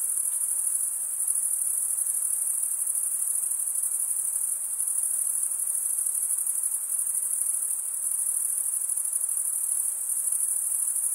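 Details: A forest cricket chorus on a summer night, a bright unbroken high trill from many insects that barely varies in loudness, with a quiet background.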